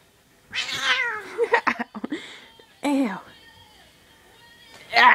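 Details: Mittens, a pet cat, being affectionate indoors: two drawn-out, falling meows about two seconds apart, with a person talking softly between them and a short sharp sound at the end.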